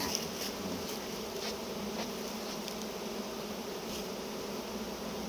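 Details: Constant humming drone of many honey bees while honey is harvested, an even buzzing band without pauses, with light clicks and taps from handling the comb.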